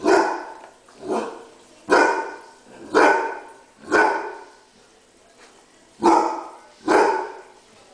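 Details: Sugar, a female Basset Hound, barking in rage because others are into her dinner: loud, deep, strained barks with rich harmonics, six barks spaced about a second apart with a short pause before the last two.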